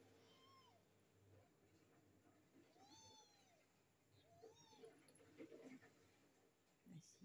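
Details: Stray kittens, three of them found on the street, giving thin, high meows that rise then fall, three short calls spread over several seconds, with quiet human voices and handling noise in the background.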